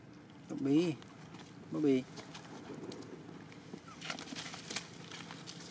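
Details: Cambodian temple monkey babies playing happily together in the troop. Two strong, brief chevron-shaped calls come about a second apart, followed by murmuring and faint rustles against a constant low hum.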